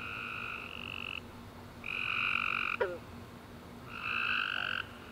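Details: Tree frogs chirping after a rainy summer day, three long trilled calls about every two seconds over a quiet hum, with one sharp click between.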